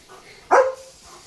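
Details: Leo, a pet German Shepherd, lets out one short, sharp bark just after his bath, a single bright burst of about a quarter second that trails off quickly, with quiet indoor background.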